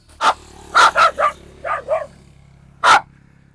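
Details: A pit bull barking on a farm during a tense moment when one dog turned on another; short, harsh barks come in a quick run of three, then a softer pair, then one final loud bark after a pause.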